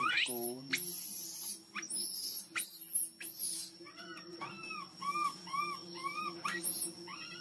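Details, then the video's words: Hungry baby monkey crying loudly to ask for milk: a low wavering cry opens, then sharp high shrieks and a run of short arched whistling cries repeated about twice a second, over a steady low hum. "Baby monkey hungry milk crying so loudly to ask milk."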